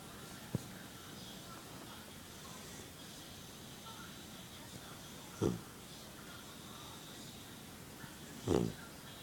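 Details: Sleeping little puppy snores, giving two short raspy snorts three seconds apart after a single soft click, over quiet indoor hum.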